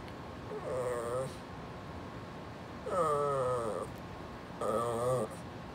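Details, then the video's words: Pumpkin, a talkative female Brussels Griffon, tells her owner to scoot over with three wavering, moan-like grumbles, each roughly a second long and separated by short pauses, over a quiet background hiss. "My Very Vocal Brussels Griffon Telling Me “Mom Scoot Over!”"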